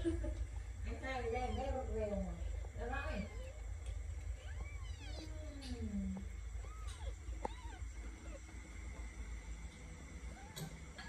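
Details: Kittens meowing: a scatter of short arched calls that rise and fall, some with layered overtones and a few overlapping, mixed with people talking over a steady low hum.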